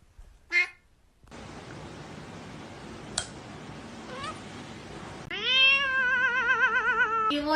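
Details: Kitten meowing indoors: a short harmonic mew near the start, then a long wavering, tremulous meow at the end over steady background hiss and music.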